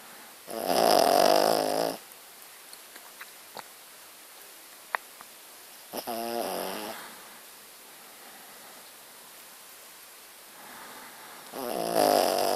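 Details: Pet dog named Muffin snoring while asleep indoors, loud rasping snores about two seconds long separated by several seconds of quiet breathing, three snores in all.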